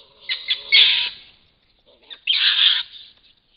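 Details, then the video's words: Fisher during a fight or play bout: two loud bursts of harsh, hissing screeches, each about half a second to a second long, separated by a pause with faint low squeaks; no other sounds. "Another fisher fight."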